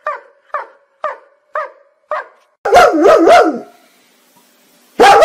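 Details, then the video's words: {'caption': 'Dog barking five times in a steady rhythm about every half second, then a loud burst of three harsh, wavering barks and a final very loud bark at the end.'} "Funny dog barking videos compilation"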